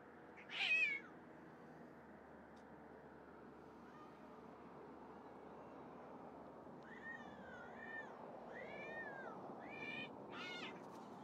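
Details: Wild kittens call with a series of thin, high, arched meows late in the clip, three or four in quick succession, after one louder cry near the start, over a steady low background hiss.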